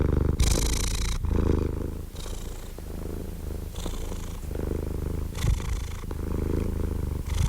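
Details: Relaxed cat purring, a soft low drone alternating between breathy inhalations and quieter rumbling exhalations, the rhythm slightly uneven across the stretch.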